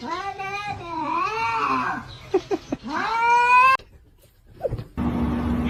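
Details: Kitten meowing: two long, drawn-out meows that waver up and down in pitch, with brief short chirps between them, followed by an abrupt cut to a short burst of noisy background.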